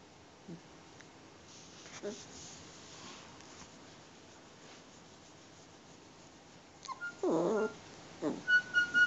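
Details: A four-and-a-half-week-old Alaskan Malamute puppy being petted: faint soft murmurs, then a loud, strained, nasal whimper under a second long, followed by a few shorter yelps and thin, high squeaks.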